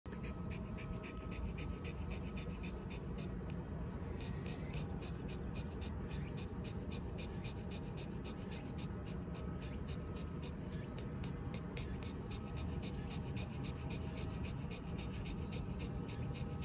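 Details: Ranmaru, a Shiba Inu, lies on cool concrete in the shade of a small hilltop arbor after a long walk, a cool breeze blowing. Steady rapid panting, several breaths a second, over a low wind rumble.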